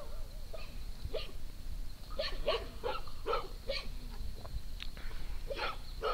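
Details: At Triple Acres Horse Rescue, four dogs (Pinto, Luna, Trinity, Junior) romp through the farm in the morning, giving clusters of quick, bright barks with a few higher yips, against constant low background noise.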